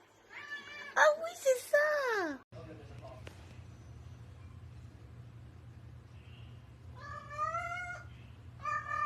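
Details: Cat in a funny compilation of pets reacting to a laser pointer: a loud, drawn-out meow sliding downward, then a steady low hum, and later a second wavering meow and a short third one near the end.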